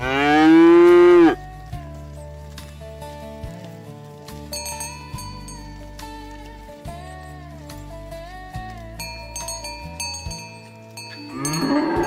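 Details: Cow herded to the livestock barn, calling friends to the pen: a loud, rich moo that drops away opens the passage, then chiming bell-like music plays before a second moo rises at the end.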